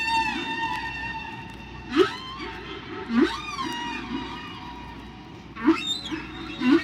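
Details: One humpback whale's song at its natural pitch, as other whales hear it: a sustained nasal tone underneath, punctuated about every second or two by quick upward-sweeping whoops, with a low steady hum throughout.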